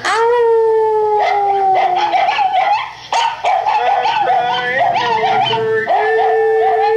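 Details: Pet dachshund howling indoors while watching dog television beside a second, silent dachshund; long sustained mid-pitched wavering howl with rich harmonics, dipping and rising in repeated phrases, mixed with a person singing along.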